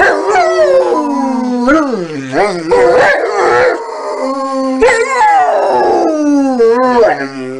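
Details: Rottweiler howling in a long, wavering, talk-like run of rising and falling tones with short breaks, several drawn-out notes sliding downward, with some human voice mixed in.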